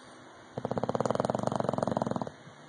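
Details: Rocky, an English bulldog, snores loudly with one rattling breath made of rapid fluttering pulses.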